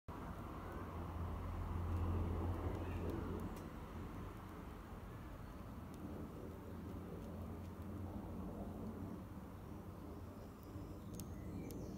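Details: Outdoor traffic rumble with a low engine hum, plus faint clicks and distant background noise, and no clear animal sound.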